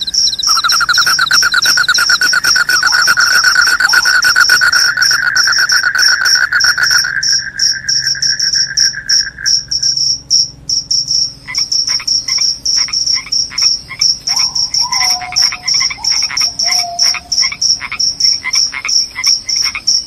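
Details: Dense, loud cricket trilling. A continuous lower buzz under fast high pulses fades after about ten seconds, leaving clipped high chirps, with brief whistled notes partway through the second half.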